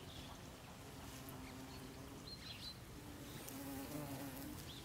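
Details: Low droning hum of bees working strawberry tree flowers in an autumn garden. Several overlapping buzzing tones waver and swell toward the end, with a faint short bird chirp partway through.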